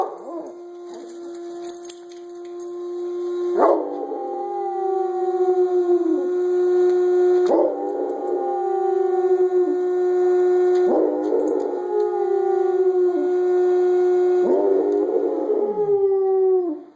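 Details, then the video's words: Pet dog howling along with a coffee maker: long, steady, drawn-out howls swelling in fresh bursts roughly every three to four seconds, each starting with a sharp rising cry, over a constant mechanical tone. "howls along with the coffee maker"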